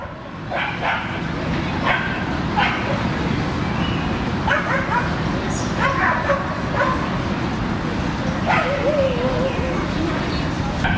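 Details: Dogs playing in a Brooklyn dog park, with people standing nearby and talking; scattered short barks and yips rise over steady low rumbling background noise, with human voices mixed in.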